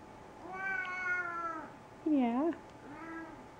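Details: Male pet cat wanting dinner indoors: a long meow, then a shorter louder meow that dips and rises, then a third softer meow, with a woman speaking Dutch nearby.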